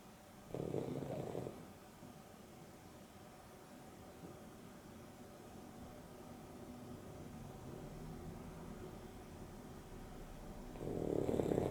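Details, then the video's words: Boston Terrier Dexter and Beagle cross Rio napping in the afternoon; a soft, husky snore near the start, a long hushed stretch of faint breathing, then another snore building at the very end. "Boston Terrier and Beagle X (Dexter and Rio) snoring"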